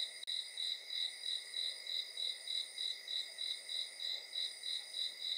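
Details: Crickets chirping at night: a steady, high-pitched pulsed trill repeating about three times per second, layered over continuous ringing high tones, with no other clear sounds.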